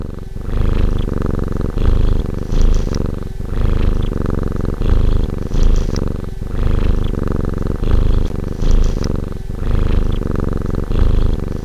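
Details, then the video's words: Relaxed domestic cat purring steadily: a deep, rumbling low throb in cycles of inhale and exhale, each phase lasting about one and a half seconds with brief pauses between, loud and close throughout. "Fusa da polleggio"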